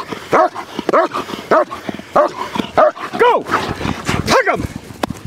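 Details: Large German Shepherd barking in protection training: about eight harsh, arched barks spaced unevenly, the later ones longer and more strained. Faint human speech and a sharp click are heard between them.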